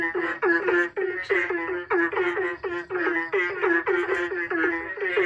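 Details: Frogs calling back and forth to each other, sounding like the rhythm of a song: a dense run of nasal, harmonic croaks, several per second, overlapping in a steady chorus with brief gaps.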